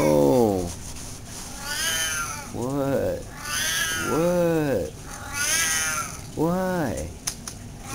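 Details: Pet cat talking back to its owner indoors: four long, loud, wavering meows, each rising then falling, spaced about one and a half seconds apart, alternating with a man's voice speaking to it.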